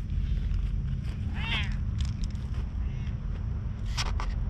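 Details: A milk-tea-coloured stray cat, incredibly friendly, keeps watch by a lighthouse, filmed on a GoPro HERO8. One short arching meow midway, then a fainter second call. A steady low rumble lies underneath, with sharp clicks near the end.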